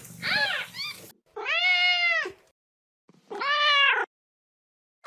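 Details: A kitten at play lets out rich, strongly harmonic meows: a short pair of quick mews, then two long, steady, nasal meows about a second and a half apart with silence between.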